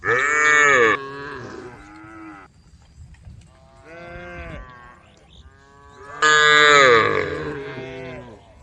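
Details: Cows roaming on a street give long, harmonic moos that rise and fall, with a loud opening call and another strong one near the end. Softer, wavering lows from other cattle overlap and fill the gaps.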